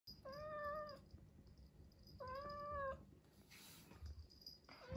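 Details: Indoor domestic cats, an 11-year-old and a 4-month-old kitten, early morning in late September in Japan: two drawn-out, slightly hoarse meows about two seconds apart, then soft rustling and handling sounds.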